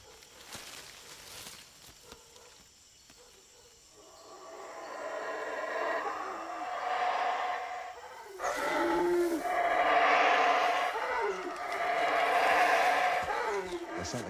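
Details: Howler monkeys in a Central American reserve roar in deep, hoarse surges that rise and fall, calls that help them avoid quarrels with neighbouring groups.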